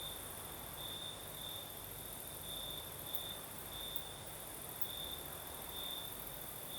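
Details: In the Crimean south at night, crickets keep up a continuous shrill trill with intermittent louder pulses, while a light night breeze adds a low steady hiss and another insect buzzes very high above.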